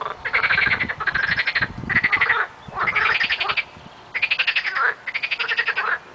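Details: Frogs chorusing in early spring, loud close rattling croaks made of fast pulse trains, bursts of roughly half to one second following one another with short gaps.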